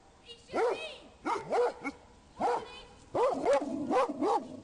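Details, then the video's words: Rhodesian Ridgebacks warning their owner of a man concealed among trees in a public park: clustered barks, roughly eight, arriving in uneven groups, with a man's voice faintly mixed in. "Rhodesian Ridgebacks alerting owner of a man hiding amongst trees in a public park!"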